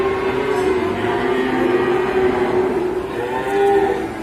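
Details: Jumbo cow with a sore leg lowing: one long, steady, level moo held for about three seconds with a slight lift near the end, over a dense hum of background voices and music.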